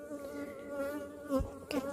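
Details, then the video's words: Texas honey bees circling on orientation flights, a loud sustained buzzing drone with rich harmonics and slight pitch shifts, broken by two brief knocks or bumps. "Bees on Orientation flights."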